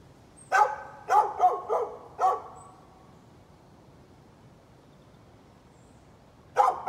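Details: {'caption': "Neighbor's dog on 11-13-2020 gives four quick, harsh barks in the first two seconds, falls silent for about four seconds, then resumes with a final double bark."}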